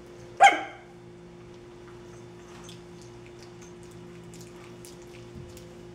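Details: Twenty-seven-day-old dirty puppies before bath time: a single sharp, loud yelp near the start, then faint scuffling and a quiet room hum for the rest.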